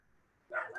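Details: Puppy barking in the background of an indoor lesson recording: near silence, then one short, sharp bark bursts in near the end of the moment.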